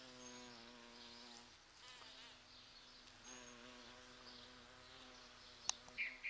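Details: Several large bumblebees pollinating sete capotes blossoms in a garden during the November bloom. A wavering hum is loud at first, fades around the middle, then returns, with a sharp click near the end.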